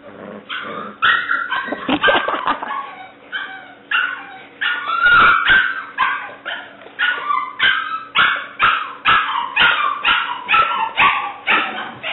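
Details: Seven-week-old female English Springer Spaniel puppy, black and white tricolor, giving rapid high-pitched yips and barks, about two per second, each short and bright with falling tails, with a steady low hum behind.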